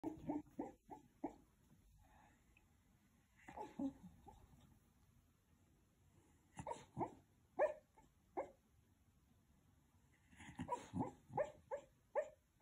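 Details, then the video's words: A 12-year-old West Highland White Terrier asleep and dreaming indoors. It gives soft, muffled woofs and whimpers in short clusters, quick bursts early on, then scattered ones, then another rapid run near the end, with quiet breathing between. "Westie dog dreaming and snoring"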